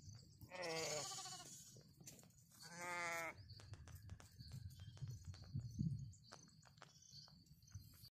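A lamb gives two loud, wavering bleats, calling for its mother.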